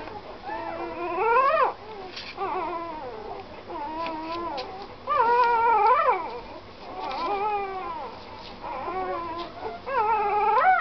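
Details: A puppy whines in drawn-out, high, plaintive cries, each sliding upward then dropping sharply. The bouts are separated by brief quieter whimpers, and the sound is continuous, mournful and crying.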